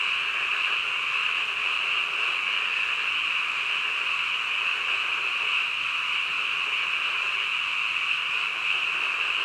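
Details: Frogs croaking at midnight: a dense, unbroken chorus of many callers that merges into a steady high-pitched trilling hum, even in loudness throughout, with no other clear sounds.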